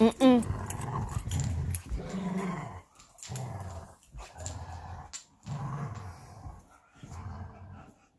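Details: Belgian Malinois pair Bullet and Apollo at play in a tug of war with a favorite toy, giving deep growls in bursts separated by short gaps, opening with a brief high yelp, with a human voice faintly mixed in.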